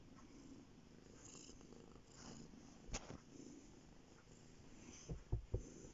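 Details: Male house cat resting on a bed, purring steadily: a deep, even rumble in gentle breath cycles, with a click midway and a few soft knocks at the close.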